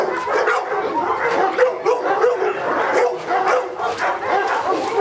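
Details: A Presa Canario barking in a protection work test, giving a dense run of short, rough barks about every third of a second, with voices mixed in.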